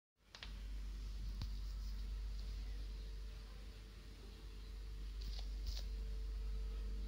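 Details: Steady low hum, like a fan running in a small room, with a few faint clicks and no animal voice.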